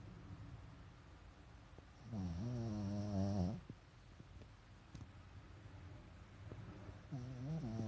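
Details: Sleeping pet Pekingese, eyes rolled to the whites, gives a rough, buzzing snore of about a second and a half with a wavering pitch, then another snore begins near the end; quiet indoor room between breaths.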